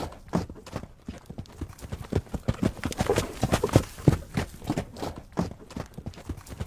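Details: Horse galloping: dense, irregular thudding hoofbeats, about three per second, with clattering low knocks. No vocal call stands out.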